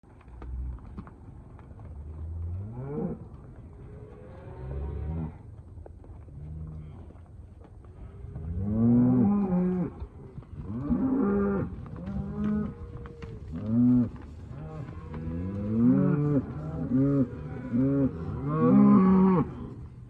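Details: Hereford and Black Baldy cows with calves mooing. Low calls start around three seconds in, then grow louder and more frequent, with several overlapping drawn-out moos rising and falling through the second half.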